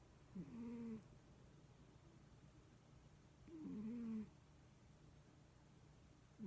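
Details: Leo, a pet cat, snoring loudly while asleep. There are two drawn-out snores, each a low, slightly whistling tone that rises and then levels off, about three seconds apart. A faint steady hum sits underneath.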